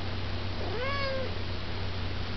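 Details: Pet cat talking to its owner: a single drawn-out meow, rising then gently falling with a clear harmonic tone, over a steady low hum.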